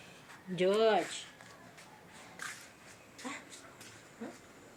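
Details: Domestic cat giving one drawn-out meow that arches up then falls, rich in harmonics, lasting about half a second, followed by a few faint short sounds in a quiet indoor setting.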